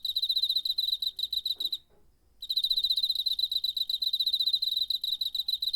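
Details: Cricket chirping in September 2019, captured on a DR-05 recorder: fast, high, ringing pulses repeated steadily, broken by one brief pause of about half a second before the even pulsing resumes.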